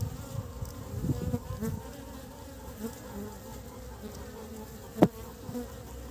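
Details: Honey bees collecting pollen and carrying it back to build the nest in early spring; a low, steady droning buzz of many wings, with a sharp click near the end.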